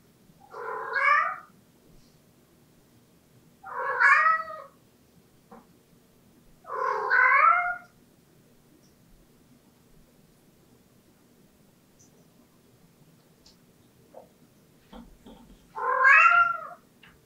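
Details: Pet cat Latte repeats its insistent daily 'aengung' call, typically heard at closed doors: four loud, rising-and-falling harmonic meows spaced about three seconds apart, then a longer pause before the last, with faint taps between.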